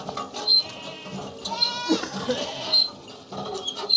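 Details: A goat in a natural village setting gives a wavering, nasal bleat in the middle, with faint high chirps around it.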